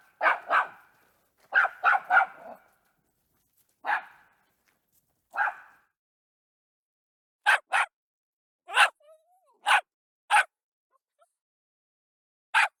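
A Jack Russell Terrier gives sharp, high barks, singly and in quick doubles and triples.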